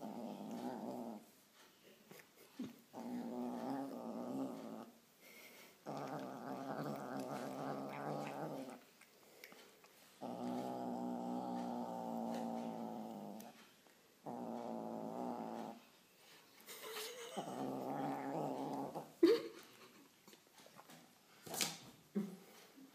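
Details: While eating, an irritated white kitten gives a series of low harsh growls, six drawn-out bursts of two to three seconds each separated by short quiet gaps, with a few sharp clicks near the end.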